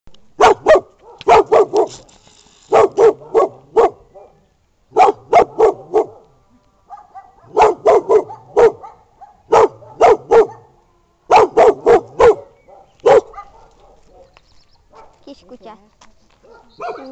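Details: Two dogs, a brown dog and a Bolognese, barking in sharp bursts of two to five barks separated by short pauses, with quieter whines and yelps trailing off at the end.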